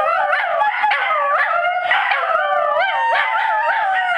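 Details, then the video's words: Two Scottish Terriers howl together at a cottage, prompted by their sister; overlapping wavering tones slide up and down continuously, loud and sustained throughout with no pauses. "Scotties Singing"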